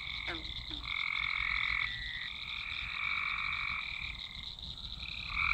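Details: Swamp chorus of many frogs recorded on a Nokia Lumia 1020: long overlapping trilled croaks in a dense wall of sound, bursts lasting one to two seconds and swelling and fading, with a steady higher buzz underneath.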